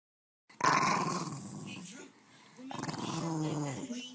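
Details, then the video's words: Boston Terrier vocalising: a rough, noisy growl for about a second and a half, then a quieter pause, followed by a tonal, whining, rising-and-falling vocal sound. "Boston Terrier barking sounds"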